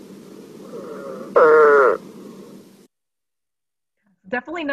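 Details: An Eastern spadefoot, presented among Rhode Island's amphibians, gives a single short, low, groaning call that sags slightly in pitch, sounding like saying "man" as if slightly upset.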